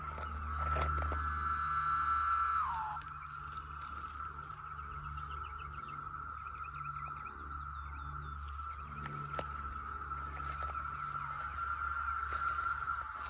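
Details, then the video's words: Likely over ten thousand cicadas on rural land in Stephens City, Virginia, May 2021, emerging for the first time in 17 years, calling up close and into the distance; a continuous droning whine holds steady throughout, with faint chirps and a low rumble early. "Thousands of Cicadas making a loud sound"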